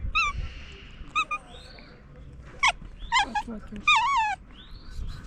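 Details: Stray cat that woke up while sleeping on top of a car, making strange noises: several wavering, whining calls that bend up and down in pitch, some short and clipped, others drawn out, over a low background rumble.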